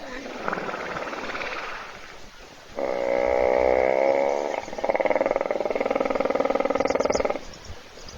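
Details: Sleeping in a puddle at a waterhole in South Africa's bush, a hippo snores while other animals wait to drink, recorded by a live webcam; two long, throbbing, buzzy rattles of fast pulses, separated by a short break, over faint outdoor ambience.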